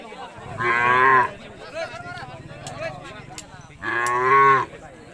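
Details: Khillar cattle at a cattle show, two loud drawn-out harmonic moos each lasting under a second, about three seconds apart, with an announcer calling out token numbers in Marathi between them and crowd noise behind.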